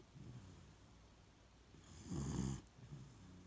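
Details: Sleeping Beagle Shiloh, in its usual spot, lets out a single buzzy, low snore about half a second long after quiet breathing, then a faint softer exhale.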